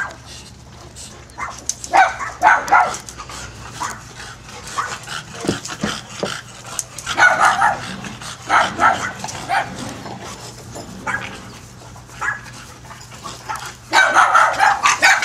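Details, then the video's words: Several dogs at play, their yapping barks arriving in scattered bursts separated by quieter gaps, with a loud closing flurry of rapid yips. "more dogs play"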